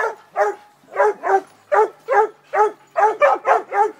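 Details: Young female Redbone Coonhound, eight months old and in training, bays at her first raccoon, a steady series of about eleven ringing, slightly bawling barks, roughly three per second, clear and loud with no other sounds.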